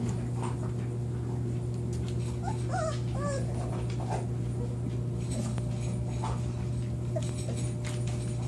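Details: Newborn Lagotto Romagnolo puppies from a litter of eight, four males and four females, born September 25, 2014, give a brief cluster of thin, squeaky, wavering whimpers midway through, over a constant low electrical hum indoors.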